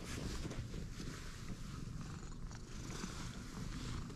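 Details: A stray cat, met only moments before, purrs in a dense low pulsing drone beneath a constant broad hiss of background noise.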